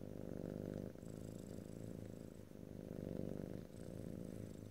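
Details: Pet cat's continuous purr, a deep rhythmic rumble breaking into breath-like cycles about every one and a half seconds, faint whine above, close stereo recording with no talking.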